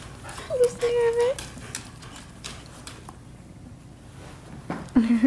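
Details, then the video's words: Pet dogs at play indoors in a living room at night; one steady, high, drawn-out whine lasting under a second, then a short lower whine at the end, over human talking and household clatter. "Dogs Playing Inside"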